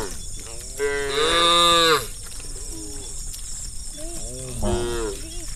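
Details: Hundreds of tame cows moving as a herd along a forest road in a village; one loud, long, rich moo near the start, then several shorter overlapping moos, over low rumble and high hissing background.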